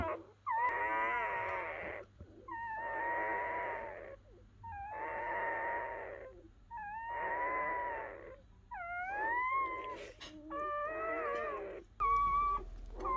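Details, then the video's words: Freshly born German Shepherd puppies, part of a litter of ten born to Betty overnight, cry in a series of long, buzzy, wavering squeals roughly every two seconds, ending in shorter rising yelps. "German Shepherd gives birth to adorable puppies"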